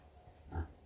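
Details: Gray Mangalica breeding boar on the Miculești farm in Romania, a single short low grunt rising and falling in under half a second against quiet background after a man's speech.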